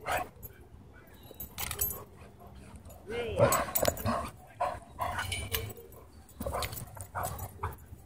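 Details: Dogs playing at a dog park, with a few barks and a curving growl-like vocal burst near the middle amid scuffling, footfalls and a person calling in the background.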